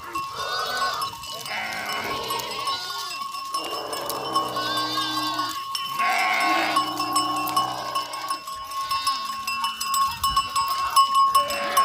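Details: Goats at a drought emergency relief visit to livestock farmers in Bhadaro village, Mithi, Tharparkar, giving several overlapping wavering bleats among other calling animals, with steady bell clanking and a few human voices.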